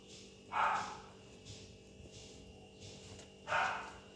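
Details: Kitten playing with its mother indoors: two short, bright meows, the first near the start and the second about three seconds later, each rising then falling, over a low steady electrical hum.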